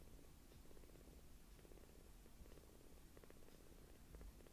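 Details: Small rescued kittens, only palm-sized, purring as they act affectionate and suckle a finger; a quiet low pulsing purr repeats in even bursts across the whole stretch.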